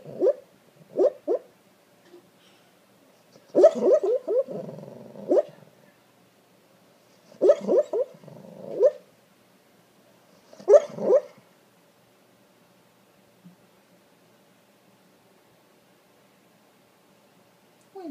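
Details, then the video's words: Sleeping English Springer Spaniel mix, dreaming, gives clusters of muffled yips and soft woofs with breathy whimpers between, in three bouts during the first eleven seconds, then quiet; owner speaks afterward. "Proof that dogs DO dream!"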